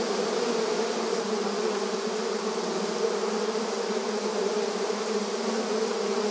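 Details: Honey bee activity at the hive entrance in the countryside: a thick, constant buzzing swarm hum, low-pitched and even, with slight flickers of individual bees passing.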